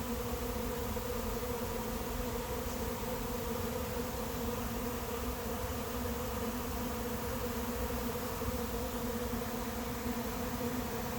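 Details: Late-season swarm of honey bees settling into an empty hive, heard as an unbroken, even buzzing hum with steady layered droning tones and no other clear sounds.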